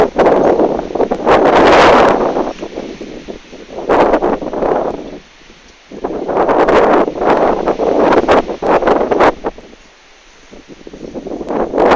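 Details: Gusting wind and heavy rustling in bursts, with no animal calls.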